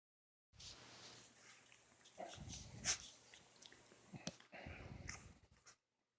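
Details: A puppy burps indoors on a morning: short, rough, low bursts near two and four seconds, between soft breathing and small clicks in a quiet room.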